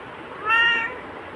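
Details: Pet black cat meowing back at its owner during a continuous back-and-forth, indoors. One clear, steady, tonal meow of about half a second, loud against a quiet room.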